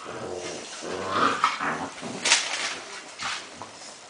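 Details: Irish Red Setters, the mother Samba with her puppies aged 7.5 weeks, indoors; short harmonic growls and yappy barks rise and fall over a few seconds, with one sharp burst near the middle and scuffling between calls.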